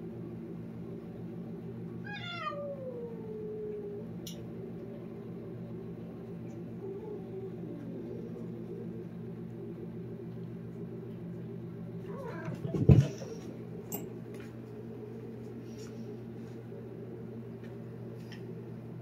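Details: Talking cat lets out a long meow gliding down in pitch, then a softer, lower second meow a few seconds later, against a steady low hum; a loud thump and clatter breaks in toward the end.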